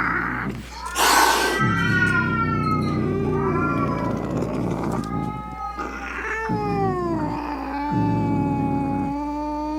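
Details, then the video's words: Angry cat yowling to repel rats, opossums and other cats: a sharp hiss near the start, then drawn-out moaning meows that rise and fall, ending in a long steady wail over a low hum. "Som De Gato Miando Bravo - Ronronando Para Espantar Rato, Gabiru, Saruê e Outros Gatos"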